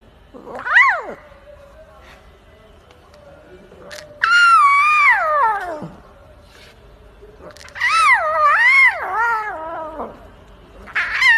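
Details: A lion cub gives drawn-out, wavering mewing cries that rise and fall in pitch, a baby roar.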